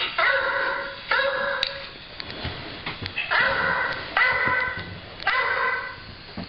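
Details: Domestic dog barking at nothing in particular, short harmonic barks in clusters, some doubled, with quieter gaps and faint background rustle between bursts.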